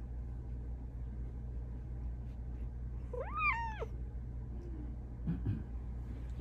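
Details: Female pet cat, vocal with meows and trills to ask for what she wants, gives one clear arching meow that rises then falls and lasts under a second, over steady low indoor hum with faint later noises.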